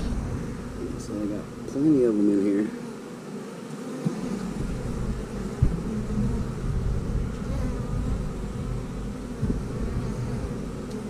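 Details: Honey bees, house bees in an open hive during a colony split with a new queen, producing a low, steady droning hum throughout, with a short voiced tone near the start.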